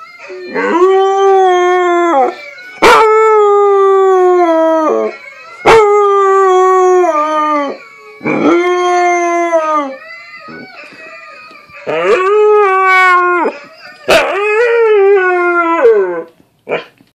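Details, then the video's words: Husky practising its howl, still learning: a series of drawn-out howls of about two seconds each, separated by short pauses and sharp clicks, some wavering and quivering, ending with a few brief broken notes. "Nanook learning to howl"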